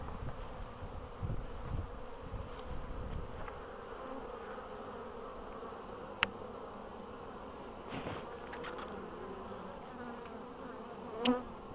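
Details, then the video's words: Bees in early spring, 14 April 2013, after a long winter, colonies healthy; a soft sustained hum broken by a couple of sharp clicks and a short louder knock near the end. "Pszczoły, 14 kwietnia 2013"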